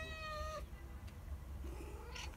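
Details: A sunbathing Siberian cat, chatty, lets out one long level meow that cuts off abruptly, followed by a faint trailing murmur under a constant low hum.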